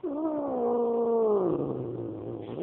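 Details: Domestic cat growling at a dog nearby: a sustained harmonic moan holding steady, then sinking into a lower rough grumble before fading.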